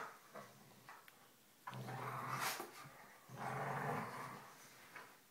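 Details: Two dogs at play, Polo, the smaller black one, and his foster sister, play-growling and baring teeth; two sustained raspy growls about a second and a half long each, separated by a brief pause, indoors.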